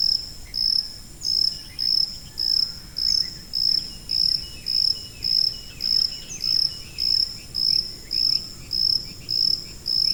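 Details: A cricket calls with a steady series of shrill, pulsed chirps, about seventeen in ten seconds, each a clear high buzz with brief gaps between, over soft background hiss and a few faint chirps.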